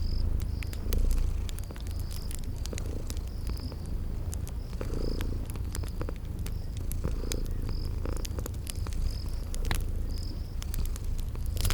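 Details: Low continuous purring from a sleeping kitty, rising and falling gently, mixed with popping fire crackles and short high chirps repeating about once a second from garden insects.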